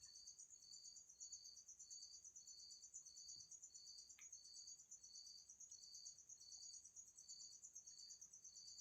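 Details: Bottle-trapped insect kept indoors: evenly spaced buzzy pulses, roughly fourteen in nine seconds, over an unbroken very high ringing trill, with one brief click midway.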